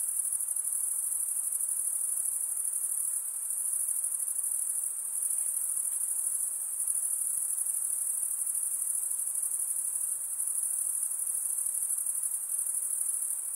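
Night insects keep up a steady, high, shimmering trill without pause.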